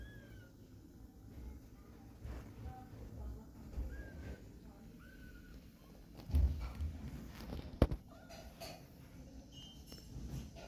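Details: Young fluffy kittens at the climbing stage make brief, soft, slightly descending mews scattered every second or two, mixed with sharp clicks and bumps and a constant low background hum.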